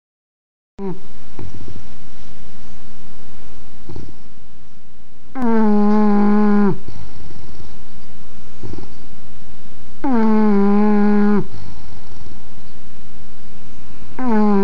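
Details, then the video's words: English bulldog snoring: long harmonic-rich rasping snores, each about one to one and a half seconds, every four to five seconds, with softer breathy rumbles between them. "Snoring English Bulldog"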